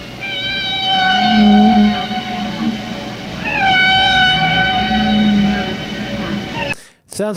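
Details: Humpback whale song, played so listeners can hear it: two long, rich harmonic cries that rise then hold, over low groaning tones, ending with a brief burst of other sound.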